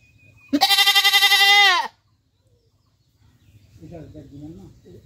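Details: A domestic goat gives one loud, pulsing bleat lasting over a second. After a pause, a soft, low murmuring sound follows.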